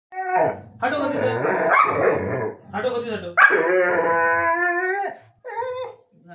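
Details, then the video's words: Pitbull dog vocalizing in a long drawn-out exchange with its owner, described as an intense argument; harmonic, rising and falling howl-like talking sounds in several bursts separated by short pauses. "dog talking & intense argument with owner"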